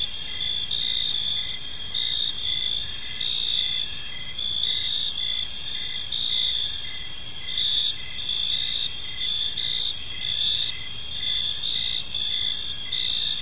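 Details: Gentle chirping of crickets in a serene evening park, overlapping high-pitched trills with pulsed chirp bursts at a steady pace, many callers blending into one continuous insect chorus.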